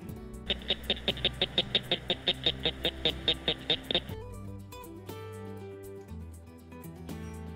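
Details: A cricket frog, well hidden among grass and dirt in Missouri, gives a steady series of sharp, high clicks like marbles or rocks hitting each other.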